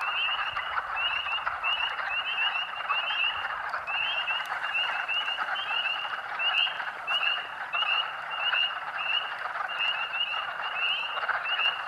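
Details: Thousands of wild spring peepers calling at Rothrock State Forest, Huntingdon County, Pennsylvania, on March 11, 2012, audible almost half a mile away; many short, high, upslurred peeps repeat over a dense, continuous ringing chorus of more distant frogs.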